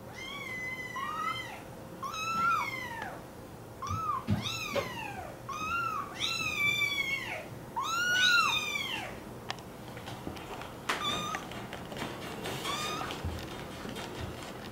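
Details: American Curl kitten giving a run of high, arched, ringing meows, about eight in the first nine seconds, each rising then falling. Later the meows fade into softer scattered clicks and handling noises.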